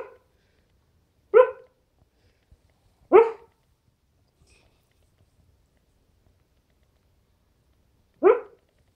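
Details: Pet dog barking while asleep: three short, sharp barks with bright harmonics, spaced about two and five seconds apart, in a quiet indoor room.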